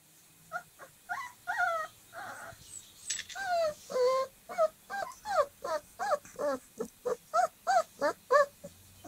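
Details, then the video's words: Dogo Argentino puppies, 25 days old, giving a rapid series of high whimpering yelps and squeals, many short tonal cries repeated several times a second, overlapping, with a brief scrabbling noise midway. "شاهد جراء كلب dogo argentino"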